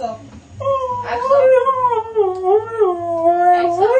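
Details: Siberian husky howling indoors, a long wavering tonal howl rising and falling in pitch through the clip, with rich harmonics and a low background hum.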